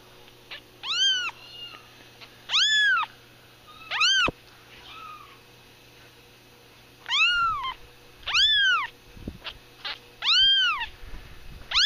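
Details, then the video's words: Baby kitten meowing: clear, high, arched mews with rich harmonics, given singly or in short pairs with pauses of one to three seconds, over a quiet indoor background with faint low hum. "Really cute Baby kitten meowing"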